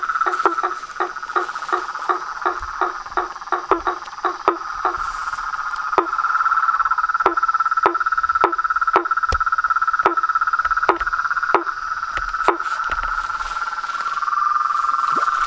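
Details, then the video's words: Toads, frogs and tree frogs at a pond beside a veranda, recorded at dusk: rhythmic knocking calls repeat about every half second at first, then a continuous high trill swells and carries through. "SONS DA NATUREZA - A SINFONIA DOS SAPOS, RÃS E PERERECAS"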